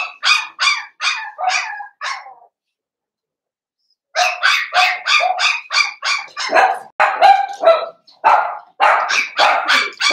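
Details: Litter of five seven-week-old blenheim Cavalier King Charles Spaniel puppies, born at New Year, indoors: sharp, high puppy barks in a fast series, a silent gap of about two seconds, then a longer insistent string of yaps.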